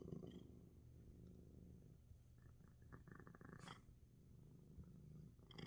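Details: Despite sneezing, house cat Coco keeps purring quietly while relaxing, a soft continuous low rumble with a brief sharp noise partway through.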